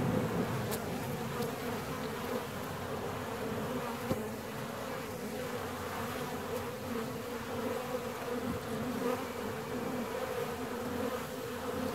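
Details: Hive of honey bees, 17 days after splitting, humming steadily for twelve seconds: a thick, even drone with a low fundamental and overtones, with faint scattered taps and clicks on top.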